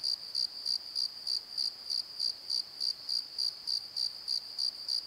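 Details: Night-time cricket chorus from a valley bottom at Pozo, a bright high-pitched chirp repeating evenly around three times each second, clean and uninterrupted.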